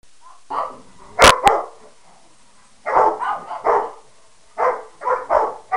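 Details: Three pet dogs, Harley the Peke mix, Sadie the Rottweiler and Wyatt the Mastiff/Pitbull, barking at one another: a brief bark, two sharp clicks, then clusters of mid-pitched rough barks after a pause.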